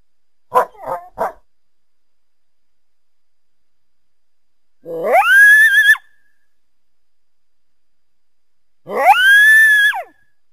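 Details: Coyote calling through the trees to a backyard on a winter day: three quick, sharp yips, then two drawn-out howls that rise steeply and hold a high, harmonic-rich tone, roughly four seconds apart.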